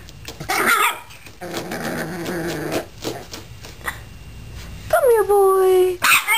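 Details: Eight-week-old Boston Terrier puppy scratching and clawing on a flight of stairs for the first time: a raspy growl, then a loud, high yelp sliding downward, with a man's voice coaxing and praising nearby.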